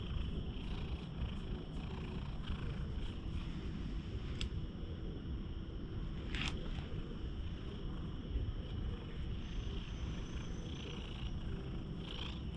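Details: Stray cat seeking affection with its tongue left sticking out, purring steadily as a continuous low rumble throughout, recorded up close on a GoPro, with a few faint rustles.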